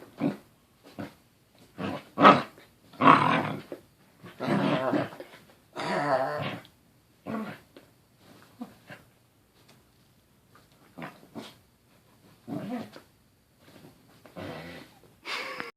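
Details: Corgi making playful Wookie-like noises while playing with a toy indoors: scattered rough growling groans and grumbles of varying length, some long and drawn out, separated by quiet gaps.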